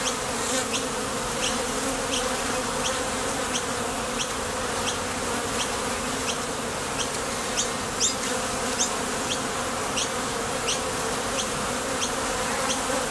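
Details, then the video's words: Bees coming and going at the entrance of a Top Bar Hive as they leave for or return from foraging for nectar: a steady, dense, low droning hum from many wings, with faint, regularly repeated high ticks over it. "Bees Sound Effects"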